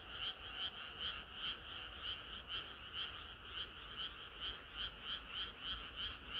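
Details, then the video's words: Frogs singing together on a hot summer night, a continuous chorus of rapid pulsed croaks at an even beat, several voices overlapping without pause above a faint low hum. "개구리들의 합창은 끝이 없어라"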